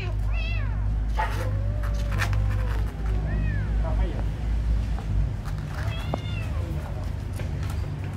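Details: Beautiful kitten meowing while being fed: several short arched mews scattered through the stretch, a thin one opening it and another near the end, against a constant low hum and human voices.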